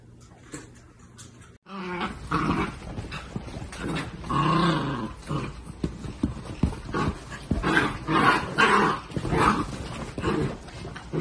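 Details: Miniature Dachshunds at a breeder's home, indoors; after a quiet start, a loud, rough run of barking and growling with irregular bursts about twice a second, harsh and noisy rather than tonal.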